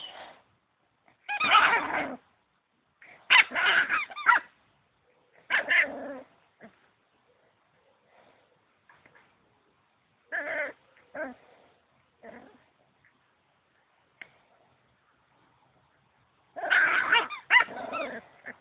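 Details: Playing puppy gives short bursts of high, harmonic yips and barks in clusters, separated by quiet gaps of several seconds, with a final rapid flurry near the end.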